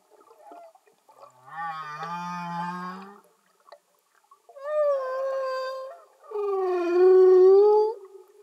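Humpback whale song: long, moaning tonal units that rise and fall, with rich harmonics.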